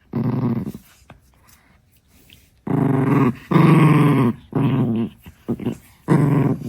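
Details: Young Chihuahua, six months old, guarding her favorite stick: harsh, throaty growls in long sustained runs, one brief burst at the start and then a denser series of rumbling growls over the final four seconds.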